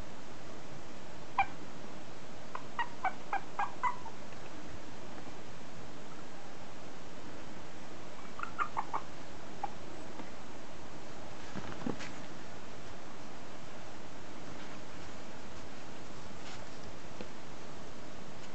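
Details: A 37-day-old male long-coated Chihuahua puppy, sable and white, in Fukuoka on 1 October, gives thin, high squeaks and whimpers in short clusters over a low background hum.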